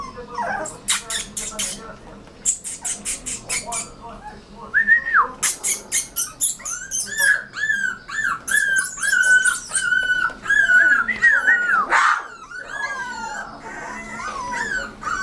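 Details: Rottweiler puppy giving a run of high, strained yelps and whines that rise and fall, repeated in quick irregular bursts, with sharp clicking knocks early on and a faint whistled tone in places.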